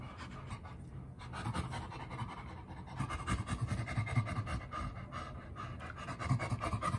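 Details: Two chimpanzees at a sanctuary playing together, giving breathy, rhythmic panting bursts that rise and fall in loudness, with scuffling sounds of play in the background.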